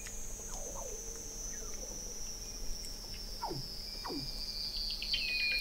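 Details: Beneath Antarctic sea ice at McMurdo Sound in November 2017, a sustained high, slowly falling Weddell seal tone runs throughout, with a few quick descending chirps below it.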